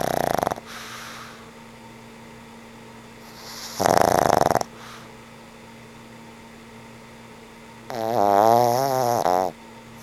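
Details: Sleeping old pug named Frank N. Stein snoring away in a room: three separate snores, harsh and noisy at the start and middle, the last a longer, wavering, nasal buzz, separated by quiet gaps with a low electrical hum.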